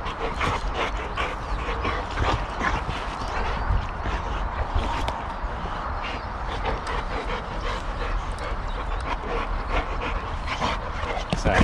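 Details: Puppy Sammie and an adult alpha Boxer in hard play at home. Steady rapid, scratchy bursts with yips and whimpers run throughout, rising again at the end.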